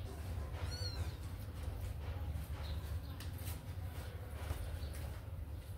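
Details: Kittens let out of their cage to run and play; one short, high, thin mew near the start, then steady low rumbling background noise and faint clicks.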